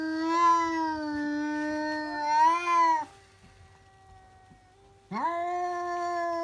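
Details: Pet cat screaming after noticing a cat outside; a loud sustained wail for three seconds, a faint lower tone during a lull, then a sharp upswept renewed scream.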